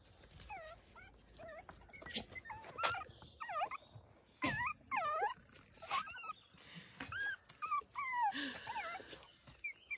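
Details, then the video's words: Farm puppies in County Kilkenny, Ireland, squeaking eagerly: many high, wavering, rising-and-falling chirps and whines in quick succession, interspersed with thumps and rustling, with soft music in the background. "puppy antics & chirps when they meet impassable step"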